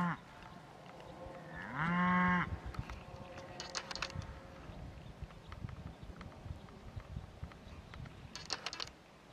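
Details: Cattle filmed in 2017 with a Nikon D5600 and Nikkor 200-500mm lens; one short, loud, harmonic low moo that rises at its start, lasting under a second, then quiet outdoor background with faint clicks and rustles.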